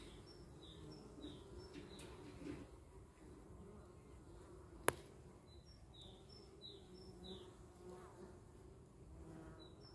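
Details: Outdoor hum of honey bees as a dog looks on: a continuous low, even drone, with scattered high bird chirps in the background and one sharp click near the middle.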